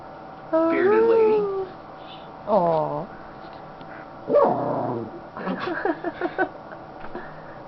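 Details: Female Schnauzer, happy and resting on her owner's lap indoors, makes several separate high whimpering whines with falling pitch, then softer rapid yips. A person talks quietly in the background.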